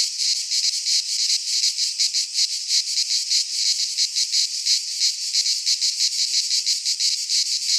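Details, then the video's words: Cicadas singing in midsummer in a Greek pine forest: a dense, shrill buzzing chorus pulsing about three times per second, steady and unbroken, with no other sounds. "Cicadas singing in midsummer"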